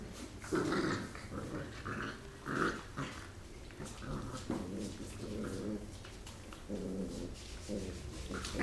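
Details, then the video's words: Rottweiler puppies wrestling and playing after a meal, with steady low rumbling growls broken into short grunting bursts, a few sharper yelps between, in a small indoor space. "Rottweiler Puppies Fighting"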